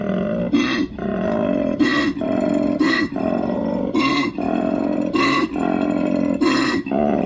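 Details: Koala giving a rhythmic bellow: deep, belching, droning exhalations alternate with short, harsh, noisy intakes of breath about every second, with no other sounds.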